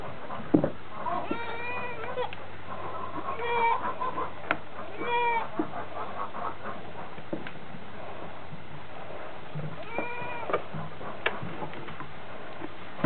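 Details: Newborn twin goat kids, healthy and mobile, just born on a farm, with a big adult goat nearby; several short wavering bleats scattered through the clip over low rumbling background noise and handling sounds.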